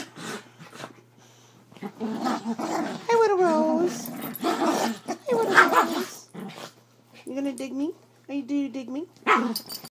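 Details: Havanese being vocal during play wrestling on a bed, producing long rolling growls and whiny, wavering yelps in bursts over about ten seconds, while a person talks and laughs throughout.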